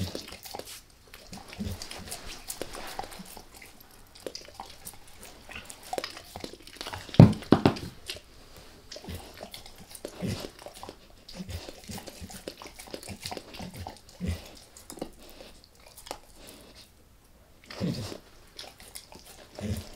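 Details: Max, a dog, gnawing on a beef rib indoors, lightly at first and then all in; irregular wet crunching and biting clicks scattered through the clip, with one louder crunch burst midway, in a quiet small room with no talking.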